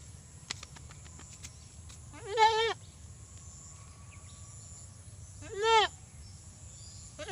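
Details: Desi goat giving two short wavering bleats about three seconds apart over a quiet background with a faint steady high hum.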